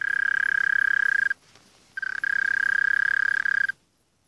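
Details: Mole cricket producing a steady, pulsed trill on one high pitch, interrupted by a pause of about half a second, then resuming before stopping abruptly near the end.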